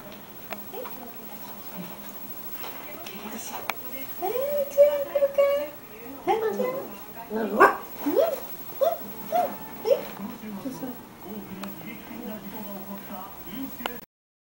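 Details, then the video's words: A Beagle puppy barking for the first time gives thin, high yelping barks and drawn-out whines in short uneven bursts. "Beagle Puppy Barking For The First Time"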